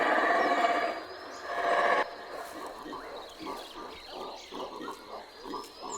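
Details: Guatemalan black howler monkey troop howling from treetops near Mayan ruins in Guatemala, an intense session audible for several kilometres: a dense loud roar for two seconds, then rough pulsed grunting bursts repeating about every half second.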